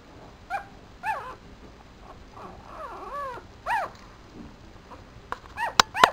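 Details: Four-day-old Papillon puppy lying in a black dress shoe: a few squeaky arched whimpers and a drawn-out wavering cry, ending in sharp clicks and handling noises.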